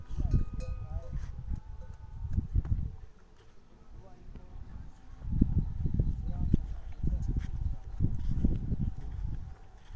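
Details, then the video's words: Loudly crying camel gives deep, throaty rumbling bursts, one long grumble in the opening seconds and another sustained roaring stretch from about five to nine seconds, over faint bell-like ringing. "Camel making funny Noise | Camel Noise | Camel sound | Camel Crying loudly"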